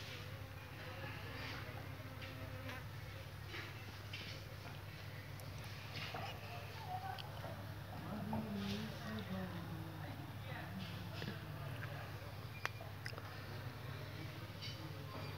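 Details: Thousands of honey bees around their hive give a steady, low droning hum with scattered faint clicks and brief higher buzzes from individual bees passing close.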